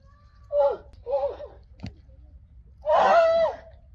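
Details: A male Friesian horse, Rising Star, gives short, strained squealing calls (two quick bursts, then a longer one) while another horse, Spidey, annoys him.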